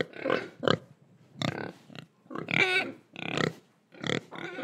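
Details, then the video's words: A pig in Indonesia oinking while breathing and eating, with a few gruff grunts followed by a longer, quavering squeal and more snorting bursts. "Pig Sound Effects Oink Oink, Breathing & Eating"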